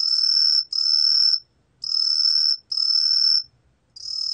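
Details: Truljalia hibinonis tree cricket, recorded for Korea's National Institute of Biological Resources in 2020, sings clear high whistled notes of about three-quarters of a second, separated by short and longer silent pauses, with faint low rumble beneath.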